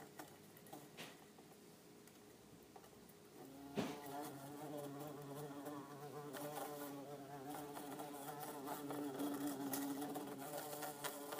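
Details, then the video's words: Buzzing of two bumblebees, one orange-belted and one yellow-faced, confined in an insect tank; quiet at first, then from about four seconds a strong droning hum with wavering harmonics builds and holds, with scattered clicks. "Orange belted and yellow faced bumble bee sound"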